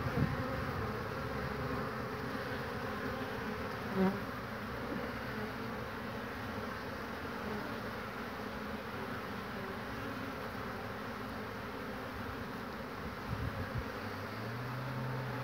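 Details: A colony's entrance in spring, 22 March 2019, with bees queuing to get in: a long, steady background hum of wings, one sharp tick near the fourth second and a bee passing close near the end.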